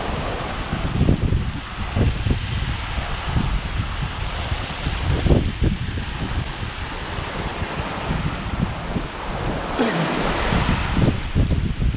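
Steady wind rumble and crashing surf fill the recording, with no animal voice standing out.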